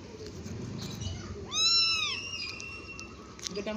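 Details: A cat at play and feeding time gives one loud drawn-out meow that rises sharply, then eases into a long steady tail, with faint talking and quiet music around it.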